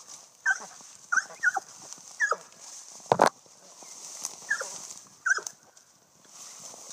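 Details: Eight-month-old female Blackmouth Cur, from a line bred as tree dogs, treeing a squirrel: short high yelping barks with whiny tails, roughly six bursts spread over seven seconds, one sharp loud knock midway, faint hiss behind.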